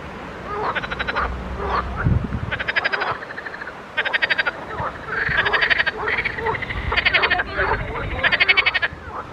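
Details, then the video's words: Pond frogs calling together in a busy chorus: overlapping rattling, pulsed croaks follow one another quickly, with a few low thumps early on. "grenouilles chantes croasses leurs mélodies des grenouilles dans un etand d'eau"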